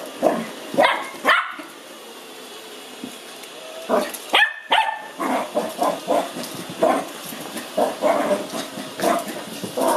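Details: A 5-month-old male Lhasa Apso puppy, excited, afraid and curious on first meeting a robot vacuum, gives a string of short, sharp, high-pitched barks and yips.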